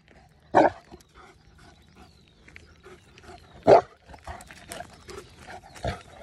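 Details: A Saint Bernard gives deep, booming single barks spaced a few seconds apart, guarding its owners and barking because of wild animals.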